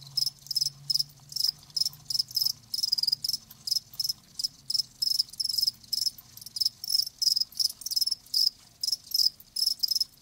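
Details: Steady cricket chirping: high, ringing pulses repeated roughly two to three times a second, evenly spaced for ten seconds, with a soft low drone in the background.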